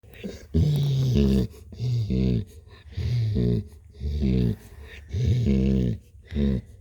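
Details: Blue, a cat, purring in a small room: low, rumbling bursts of roughly one second each, broken by short quiet gaps, in a steady in-and-out rhythm.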